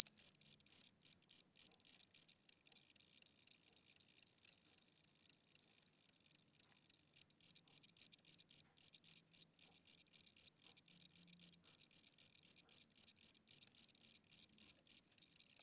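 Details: An old, tired cricket with weakening wings chirps slowly inside a house at night: steady high-pitched pulses, about three to four per second, briefly quieter and thinner mid-way before resuming strongly; no other sounds.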